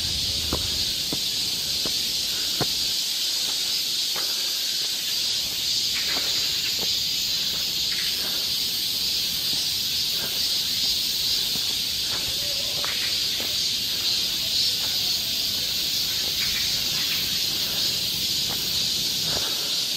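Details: Cicadas singing along a summer forest trail in Seoul, Korea: a dense, unbroken high-pitched hiss that holds steady throughout, with faint scattered clicks and rustles beneath.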